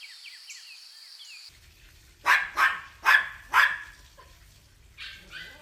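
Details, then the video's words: Puppies running and playing together on a grassy meadow; a steady high insect-like whine and chirps, then four sharp barks about half a second apart, followed by a softer bark, with faint birdsong behind. "Dog barking sounds"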